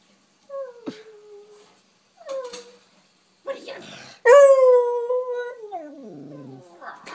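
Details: Dog barking after seeing another dog: sparse, rising yelps, then a loud, long, wavering howl-like bark that slides downward and fades.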